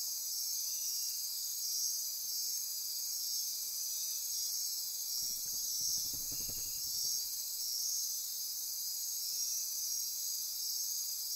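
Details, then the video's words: Night-time insect chorus from Costa Rica's Osa Peninsula rainforest by Corcovado National Park, a continuous high buzzing and trilling shimmer, briefly joined midway by a low rumbling thump for about two seconds. "Costa Rica Rainforest - Midnight Insect Chorus"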